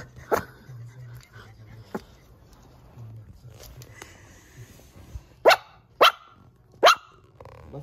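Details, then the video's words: Silver toy poodle frightened by a lion doll placed on the floor, hiding under the sofa; a few faint early yips, then three loud sharp barks near the end, with a woman speaking nearby. "사자인형이 무서워 쇼파 밑으로 숨는 실버토이푸들"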